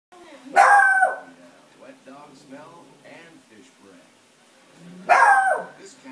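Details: A dog barks at dog videos playing on the TV: two loud, sharp barks a few seconds apart over quieter background speech.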